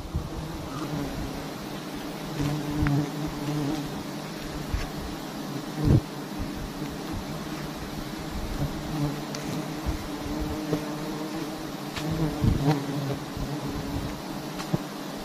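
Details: Constant low drone of honey bees around a large wild hive in a palm-garden tree, a hum with clear harmonic bands running throughout, scattered clicks and taps, and faint voices.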